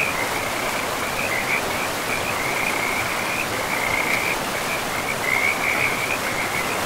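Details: Frogs calling beside a river in a pristine forest, a steady chorus of short, high, trilling pulses repeating almost without pause over the constant broad rush of flowing water.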